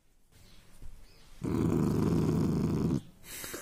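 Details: A 3-month-old Rottweiler puppy gives a low, rumbling growl lasting about a second and a half in a playful aggressive reaction.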